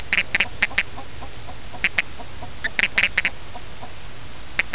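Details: A male toad that hops around a yard at night eating bugs gives short, squeaky chirps in quick clusters, pausing between bursts, calling when picked up.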